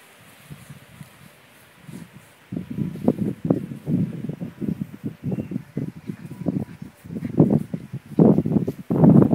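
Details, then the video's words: Leonberger pups at five weeks: quiet start, then a run of short, gruff low-pitched yips and grumbles that grow louder toward the end, with rustling in the background. "Leonberger Praatjesmakers deel 2"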